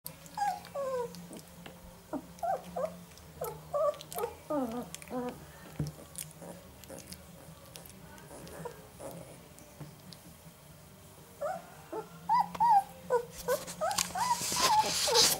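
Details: Three 11-day-old Northern Inuit puppies, male littermates, whimpering and squeaking: short rising-falling squeals in bursts, a quiet stretch in the middle, then a louder flurry of squeaks near the end.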